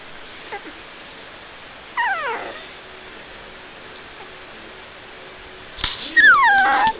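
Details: Two puppies, one brown and one black, making whimpering yips indoors: a short falling whine near two seconds, then a longer, louder high whine sliding downward at the end; quiet room between calls.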